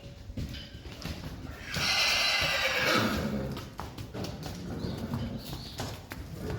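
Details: Friesian horses in a herd, during a first grooming session for a filly alongside a mare: a harsh, breathy call lasting over a second stands out amid scattered hoof clops and handling noises, with brief human speech.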